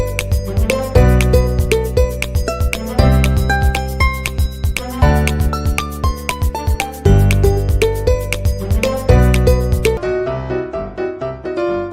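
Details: Cheerful plucked and keyboard music with a regular beat plays throughout, thinning out over the last two seconds.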